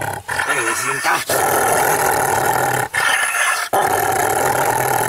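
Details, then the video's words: Angry Rottweiler growling, with a short wavering vocal sound near the start, then long rough rumbling growls interrupted by brief pauses. "ANGRY ROTTWEILER"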